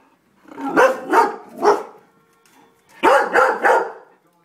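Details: Three greyhounds, two resident and one foster, bark at a squirrel at their bird feeder: two bursts of three rough, full barks each, separated by a short pause with a faint hum.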